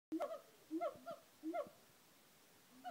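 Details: Siamang gibbons calling at Auckland Zoo: loud hoots in short bursts, each sliding up in pitch then dropping back, repeating roughly every three-quarters of a second over a quiet background.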